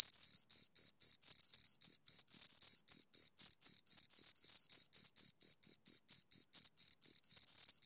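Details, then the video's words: High, piercing cricket chirps from two insects at close range, pulsing steadily almost four times per second with occasional longer joined bursts, against silence. "Two Crickets Chirp Sounds"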